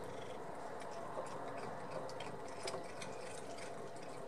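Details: A cat named Ben purring while eating shrimp, shell included, indoors: a low, steady, rumbling purr runs throughout, broken by sharp crunchy chewing clicks.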